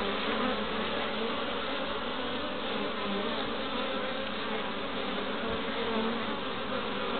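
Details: A busy honey bee colony at its hive entrance in Pembrokeshire, Wales, 11 March, foragers returning with orange, yellow and white pollen; a rich, even hum of many bees that barely varies throughout.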